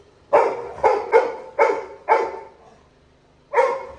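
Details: Crying as his brother leaves the house, village Labrador Retriever puppy Little John yelps in a tight run of five bright, harmonic cries, then pauses before one more.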